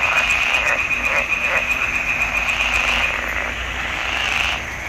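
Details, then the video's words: Frogs in a pond in the swamp during June 2021, croaking in a busy overlapping chorus with a fast pulsing trill and several louder individual croaks early on, fading slightly at the end. "Il canto delle rane in palude."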